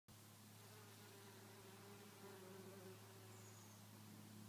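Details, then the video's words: Bees buzzing: a steady, low droning hum with faint higher overtones that runs unbroken and even in volume from start to finish. "Bee song"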